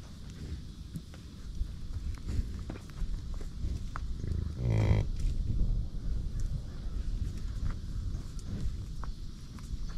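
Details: American bison on a buffalo ranch giving a low, pulsed grunting bellow lasting under a second midway through, over steady low rumbling background noise.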